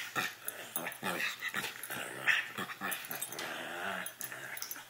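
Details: Chewy and Sarge, two puppies at play indoors, trade raspy, breathy growls in rapid uneven pulses, with thumps and scuffles of their tussle throughout.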